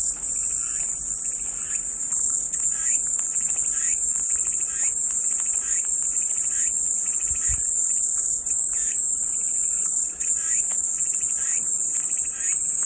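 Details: Calming cicada chorus as white noise: one continuous, shrill, level buzz with no pauses, layered over lower scratchy bursts that pulse at a brisk, regular pace.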